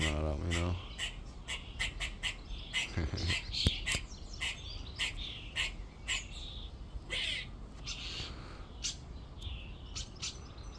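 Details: Squirrel calling from a tree in a back garden on a second day of recording: sharp, dry, broadband chucks repeated about twice a second in uneven bursts, with a man's brief speech at the start.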